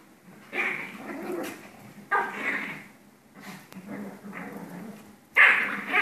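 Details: Play-fighting pair of Pomeranians: spaced bursts of gravelly growling and snarling about every one to two seconds, with softer grumbles between and a sharp loud snarl at the end.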